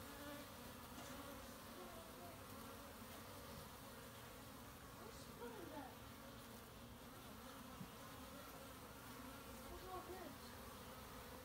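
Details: Western honey bees (Apis mellifera) collecting pollen, recorded March 18, 2018, make a steady, low, droning wing hum, many buzzing together with overlapping tones rising and fading.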